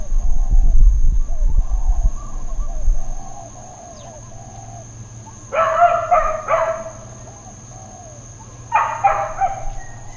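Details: Intermittent dog barking in Hawaiian Paradise Park, Hawaii, on September 2, 2024, Labor Day: after low rumbling and soft bird calls, two loud bursts of three or four sharp, rough barks about three seconds apart, over a constant high whine.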